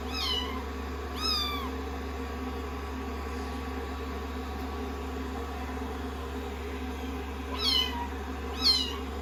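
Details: Day 16 of a rescued-kitten growth record, with the kittens cuddling on a lap after shampoo and drying. Two squeaky, arched meows open the clip; a quiet stretch follows, then two more high mews near the end, all over a steady hum.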